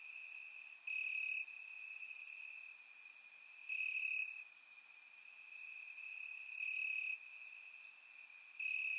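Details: Crickets chirping in grass on a warm summer night in Bulgaria, recorded with a surround microphone: a steady high trill with louder pulsed bursts of about half a second recurring every couple of seconds, plus short high ticks.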